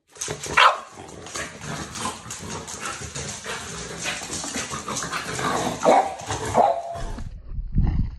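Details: French Bulldog playing with sticks, giving a few short sharp barks: one near the start, then two more close together near the end, over a steady rustling background.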